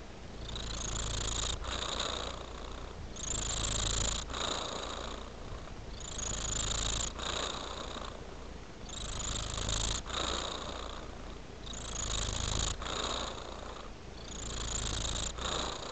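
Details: Purring cat, close up: a low throbbing drone that pulses in regular breath cycles about every two seconds, each cycle bringing a soft airy hiss, steady and uninterrupted throughout.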